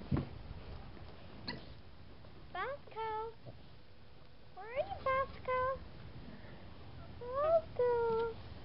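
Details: Seven-week-old Boxer puppies whimpering: short, high harmonic whines that sweep up and down in pitch, coming in quick clusters near the middle and again toward the end, with faint human voices underneath.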